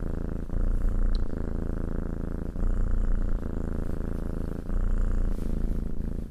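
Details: Domestic cat purring while being petted, a steady low rumbling purr with long continuous breaths broken by brief dips about every two seconds; soft rustling from the petting hand.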